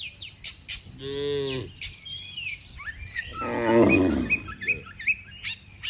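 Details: Cattle gathered in a neat line on a road, calling their herd to come home to the barn. One clear harmonic moo, then a harsher, broken lowing. Scattered bird chirps sound throughout.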